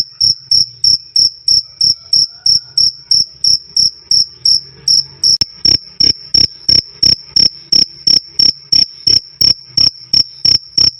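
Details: Cricket, recorded loud and clear as a sound for training songbirds, giving a steady run of shrill, high chirps about three per second. Each chirp is a short, sharp pulse with a faint low thud under it, and there is no other sound.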